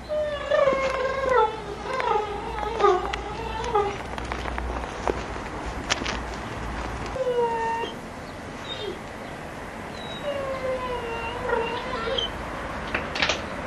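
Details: Several overlapping whimpers from Giant Schnauzer puppies, Kennel Vestigia Ares, 15 October 2009. A loud burst of wavering whines comes first, then quieter, scattered falling whines over a low background rumble and occasional clicks.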